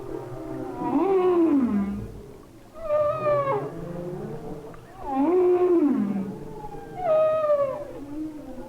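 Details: A humpback whale sings underwater in winter off Maui, Hawaii, recorded by hydrophone: long tonal moans sliding up then falling away, phrases of a second or two repeating every few seconds; thought sung only by males.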